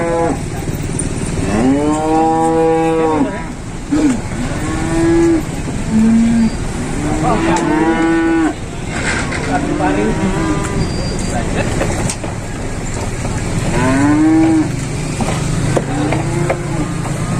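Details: Jumbo-sized cattle arriving by truck at an Indonesian farm, kept untethered; deep, drawn-out moos with arching harmonics repeat and overlap from several animals, over constant engine rumble and men talking.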